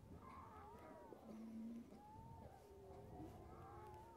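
A young harp seal calls in drawn-out, wavering mews that sound much like a cat or a crying infant. The cries bend up and down in pitch and overlap, with a low rumble of background noise beneath.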